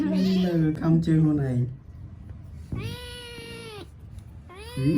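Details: Kitten playing indoors: a woman speaks Khmer at the start, then the kitten gives a clear, sustained meow and begins another at the end.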